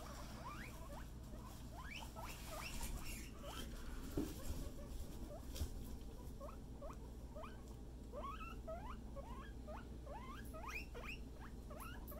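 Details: Pet guinea pig Scruff during floor time, playing with a friend indoors: a steady run of short, rising squeaky notes, several each second, over a low constant hum.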